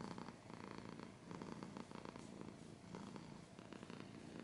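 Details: Cat purring close up while scratching is heard: low vibrating purr in alternating breath phases roughly every second, rough pulsed rumble with brief brighter bursts.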